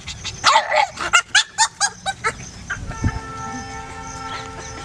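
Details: Pug Laika, almost six months old, enjoying her first trip to a nearby park, lets out a quick run of about nine sharp yips that fade over two seconds, followed by steady sustained musical tones.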